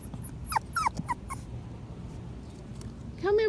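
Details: Patterdale Terrier puppies, five weeks old, going through an earth tunnel built from PVC pipe; a burst of four or five thin, falling whimpering yips, then quiet, and a human voice calling at the end.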